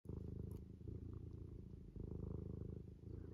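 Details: Domestic cat lying in a classic loaf pose, purring steadily: a low, continuous rumbling purr with a fast regular pulse, briefly pausing for a breath midway.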